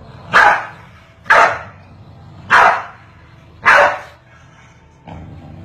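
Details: Corgis barking back and forth at each other, four loud, clipped barks spaced roughly one second apart, then a softer fifth bark, over a faint low background hum.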